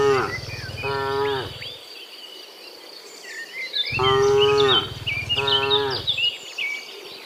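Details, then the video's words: Several overlapping moos from a herd of dozens of cows coming back from the field to the pen in the morning, short, even-pitched calls in quick succession over busy birdsong and a constant insect buzz. "Sound Dozens of Moo Cows in the Morning, Returning from the Field to the Pen, the Sound of Cows"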